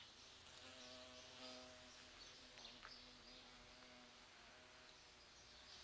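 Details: Large bumblebees visiting flowering sete capotes (Campomanesia guazumifolia), drawn to the rose-like scent in mid-November: a steady low droning hum with harmonics, fading in and out as insects move, over background hiss.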